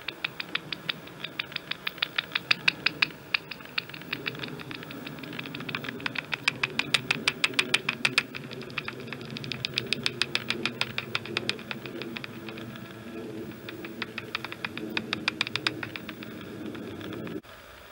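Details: Serotine bats emerging on an evening of 7 May 2023 near a daycare in Andijk, Netherlands (3–4 bats), heard through a bat detector tuned to 28 kHz: rapid, dry ticking clicks in irregular bursts over a low murmur.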